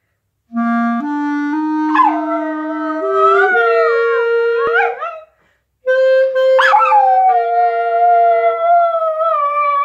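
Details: A poodle howls along with the classic song "What a Wonderful World", its wavering voice bending up and down over the slow melody's steady notes.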